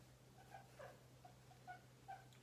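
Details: Free-roaming house guinea pig voices a series of brief, clear chirping squeaks, about four to five notes spaced irregularly, quiet against a steady mains-like hum in an indoor room.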